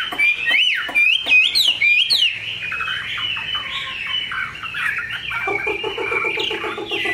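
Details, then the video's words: Tame, large-bodied caged Chinese hwamei with a fine voice delivering rich whistled song: rapid rising and falling slurred phrases, then a run of quick, regular, lower stuttering notes toward the end. "Mi họa thuần, bộ to, chất giọng cực hay"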